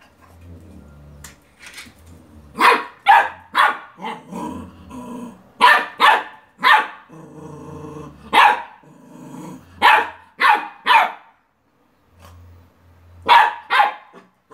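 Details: A Beagle puppy barking at a toy car gives sharp, bright barks in quick bursts, with low growls between them.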